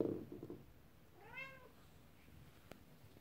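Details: Upset mother cat indoors while her kittens play with a toy horse-drawn carriage; after a brief clatter, she gives one short, rich meow that rises then falls, with a faint click near the end.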